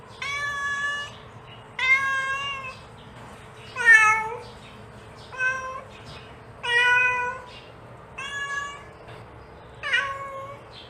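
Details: Seven meows from a mother cat calling her kittens, spaced about one and a half seconds apart, some bending downward, one louder and strained, with faint short mews between and a low hum behind.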